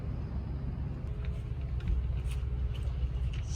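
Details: Outdoor urban rumble of passing cars, heavy in low tones, with faint scattered clicks and no animal voice.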